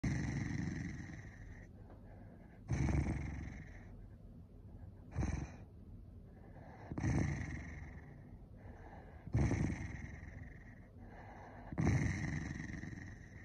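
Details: Angry Corgi giving rough, noisy growling bursts about every two to three seconds, each a second or less long, with quiet low rumbling between them.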